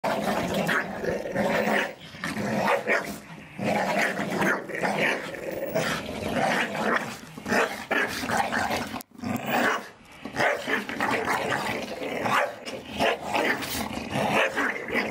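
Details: Several Staffordshire Bull Terriers playing in a garden, tearing apart balls given to them for Christmas; continuous rough growling and snarling with short bark-like bursts, hardly a pause apart from a brief break near nine seconds.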